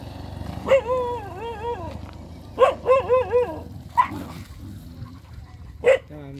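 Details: Dogs fighting over a female on a road: high, wavering whine-like yelps with strong harmonics, two drawn-out quavering cries of about a second each, then short sharp yelps at four and six seconds over a low background hum.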